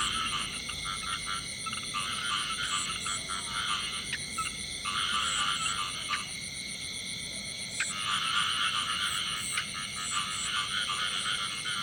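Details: Male frog singing in the field: dense runs of raspy, pulsed croaks repeated rapidly, several bursts per second with short pauses, over a steady high-pitched droning background.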